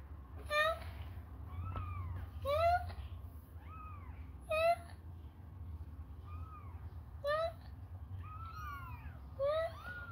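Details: Hungry baby kittens suckling on a person's finger give thin, high mews that rise and fall. Several overlap, about one every second or two. A low rumbling hum fills the background.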